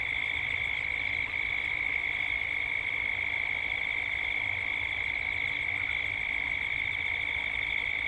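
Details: Cicadas in Gippsland, Australia, as dusk approaches. A dense, high-pitched buzzing chorus throbs quickly and steadily for the whole stretch, with a low ambient rumble beneath.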